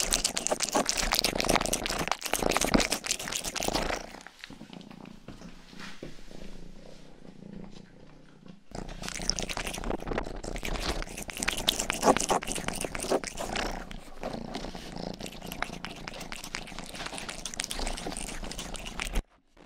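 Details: A house cat named Rangi, the youngest of the family's cats, purrs while licking ears. Bursts of rasping tongue strokes alternate with a quieter stretch in which the soft, steady low purr rumble comes through clearly.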